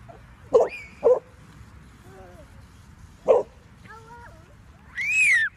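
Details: Bernese Mountain Dog giving three short, deep barks, two close together then one after a pause, between soft whining, ending in a longer high whine; no other clear sounds.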